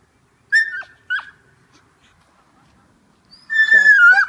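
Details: An Alaskan malamute gives high, wavering whines and a drawn-out howling cry in protest at being left behind while its owner goes skateboarding.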